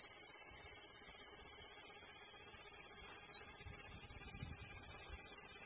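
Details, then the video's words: Cicada song as a continuous shrill hiss-like buzz, very high and constant in volume from start to end, with almost nothing in the low range. "Cicada Sound"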